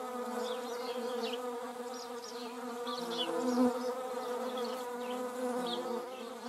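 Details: German wasp and paper wasp in the Eifel, Germany: continuous humming buzz of beating wings, even and layered, briefly louder near the middle as an insect passes close.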